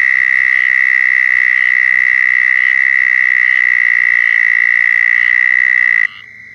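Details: Loud, nearby southern toad mating call from Florida: an even, high trill runs for about six seconds, then stops abruptly, and a fainter trill from another toad carries on.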